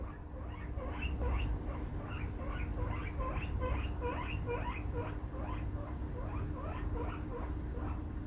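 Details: Pet male guinea pig giving its alarm-version squeaks: rapid repeated rising wheeks, several per second, with a steady low hum beneath.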